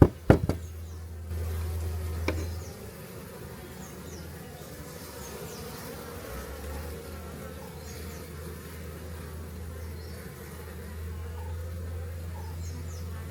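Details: Honey bee colony from a large clay pot hive being relocated away from a house in Homagama, Sri Lanka: a steady, low, droning hum of many bees, opening with a few sharp knocks.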